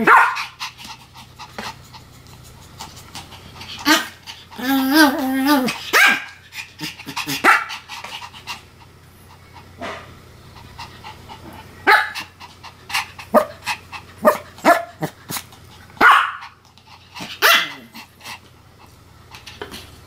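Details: Two pet Pomeranians named Sam and Marine duet-barking: sharp yappy barks come in quick bursts, joined early on by a wavering, howl-like whine, then more clustered barks and short pauses, with panting between.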